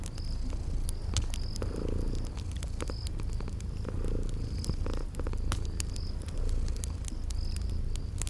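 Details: Low rumbling purr of sleeping cats continues throughout, rising and falling softly, accompanied by frequent crackles from a fireplace and regular short cricket chirps in a cozy spring garden setting.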